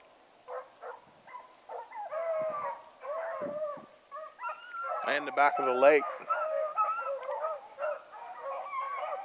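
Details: A hunting hound on an evening run, 19 November 2014, bays with a big booming voice in repeated drawn-out, quavering bawls, some rising and falling with a strong wobble, while a man speaks briefly between cries.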